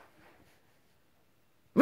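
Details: Milo, a Jack Russell terrier performing tricks indoors, gives one sudden loud, sharp bark after near silence. The bark is cut off abruptly at the very end.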